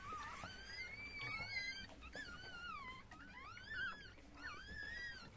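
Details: Just-born Chihuahua puppies, including a male pup, give repeated wavering high whines, each bending upward then sliding down, about one a second, with a quiet indoor background.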